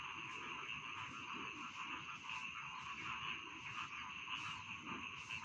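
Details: Chorus of rice field frogs, many overlapping rasping trills blending into an unbroken buzzing drone, with scattered sharper clicks and soft low background noise.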